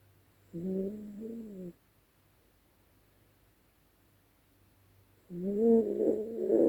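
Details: Yorkshire Terrier named Dezi snoring loudly while asleep at night: two drawn-out, buzzy, harmonic snores about four seconds apart, each lasting a little over a second, with quiet breathing gaps between them.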